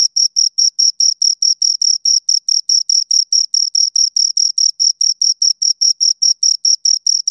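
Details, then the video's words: Two crickets stridulating, producing crisp high-pitched chirps in a fast, regular pulse of about two to three per second, nothing else audible. "Two Crickets Chirp Sounds"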